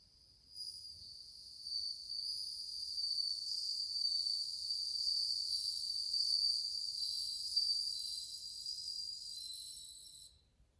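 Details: Many bell crickets singing in August 2020, a bright, high ringing trill held steadily for about ten seconds, layered with shimmering overtones and slight swells in loudness, with no other sounds.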